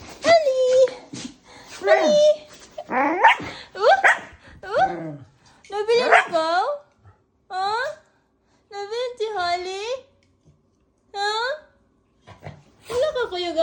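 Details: A pet Aspin, a Philippine native dog, 'talking': a run of short, whiny, rising and falling yowls in quick bursts, some bending up then down, with brief pauses between groups and possible human voice mixed in.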